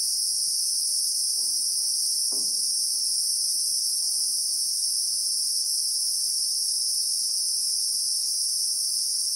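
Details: A constant, sizzling high drone of Christmas beetles (Anoplognathus) in acacia bushveld of South Africa, recorded in real time, level and continuous, with a couple of faint knocks near the start.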